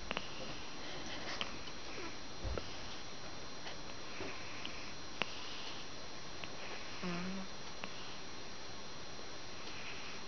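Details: Orange tabby kitten Karin, deeply asleep while dozing pressed against another kitten, breathing audibly: soft sniffling breaths, faint clicks, then a short low whistling snore near the end in a quiet indoor room.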